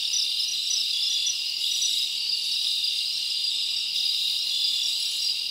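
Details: Many crickets calling together on a summer night in the forest, heard as a steady, high, ringing drone with little variation and no other animals or noise.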